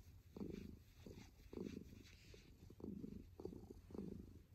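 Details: Kitten purring close up, a low rumbling purr swelling in soft pulses about once every second, each breath cycle clearly audible over a faint steady hiss.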